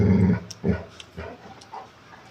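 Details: A dog lets out a deep, short bark followed by a few fainter, low huffing sounds trailing off over about two seconds.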